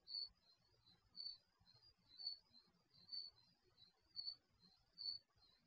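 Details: Crickets at night in a garage, picked up by an HD security camera microphone; short high chirps repeated about once a second, alternating louder and softer pulses over a quiet low hum.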